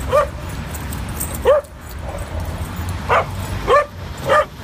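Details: Two adopted dogs at a New York City park for the first time, at play: five loud, sharp, slightly rising barks spaced about a second apart, with a steady low traffic hum behind.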